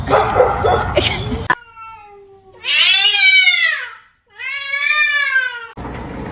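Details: Domestic cat giving two drawn-out, arched meows, each about one and a half seconds, rising then sliding down, separated by a short pause; loud noise and voices come before and after the calls.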